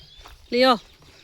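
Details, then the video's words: German Shepherd named Leo, out in a field on his potty walk, lets out one short, sharply arched bark lasting about a third of a second over a quiet outdoor background. "German Shepherd Leo's Full Day Routine | Treats, Food, Walk & Barking Duty"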